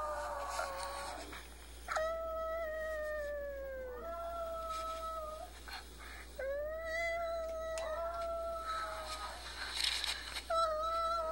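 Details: Pet Chihuahua, five years old, coaxed into howling, sad over a female in heat he cannot reach; a string of sustained tonal howls, each starting high and sagging, separated by short gaps, with faint background noise.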